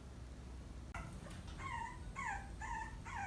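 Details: Maltipoo puppy giving attention-seeking whines (amae-naki, begging for affection), recorded in puppyhood. A quiet first second, then a run of about five high, tonal whines, each rising then bending down, repeated roughly every half second.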